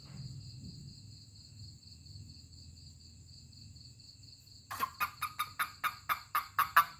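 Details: Toad calling when touched by hand: after a quiet start, a rapid run of about nine short rasping croaks, roughly five per second, fills the last two seconds, over steady high-pitched insect-like tones and a low background hum.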